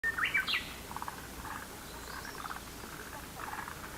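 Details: Frogs calling together in a lotus pond, short pulsed croaking bursts repeating across the clip beneath a loud chirping bird note at the start and faint later chirps.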